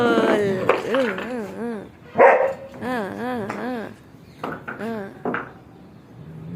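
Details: Playful German Shepherd named Sheru giving a string of arched, wavering whines, then a sharp bark and more looping whines, with a person exclaiming and talking in Gujarati.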